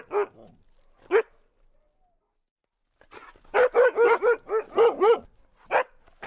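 An Alaskan husky gives two separate mid-pitched barks, then after a pause a quick run of about six tonal barks and yelps, with quiet room background.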